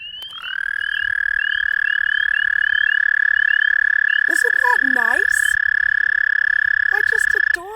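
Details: On a full-moon spring evening in a backyard, an American toad gives a long, steady, musical trill holding one high pitch for several seconds, among other calling frogs and toads.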